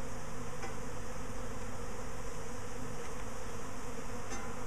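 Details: A swarm of bees leaving again one week after the last swarm, recorded up close by a box; thick, unbroken low-pitched humming with a couple of faint taps.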